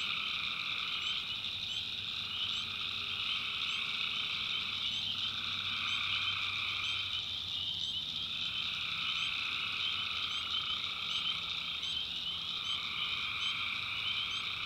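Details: Night chorus of tree frogs in the North Carolina backwoods swamp: layered droning trills that swell and fade in overlapping waves every few seconds, set against a continuous shrill insect whine.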